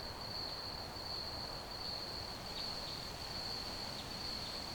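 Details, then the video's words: Crickets keep up a sustained high, pulsing trill while faint short clicks break in now and then, all over a continuous hiss of background noise. "Ambient Crickets Chirping Sounds"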